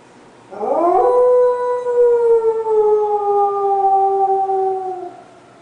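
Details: Pet dog Jack, excited by fire trucks, lets out a long howl: a quick rising yelp-like start, then a sustained tone that gradually falls across about four seconds before fading.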